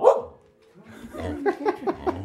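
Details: Samoyeds vocalizing as a birthday greeting: a loud opening yelp, a short pause, then a rapid series of four or five rhythmic woo-woo barks.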